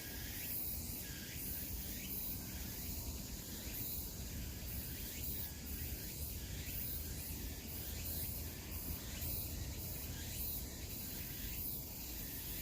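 Cicadas buzz in steady, rhythmic pulses over a constant low rumble of forest background noise.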